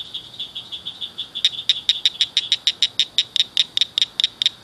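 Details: Night chorus of several small, loud frogs in a ditch culvert: a steady high ringing trill, then a long run of crisp chirps about four per second over it.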